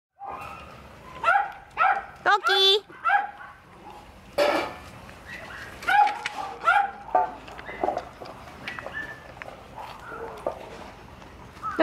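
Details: Husky at a pet shop in Nara, Japan: a run of short, harmonic yelping whines and yips, some rising, in bursts across the recording, with people talking and clapping nearby.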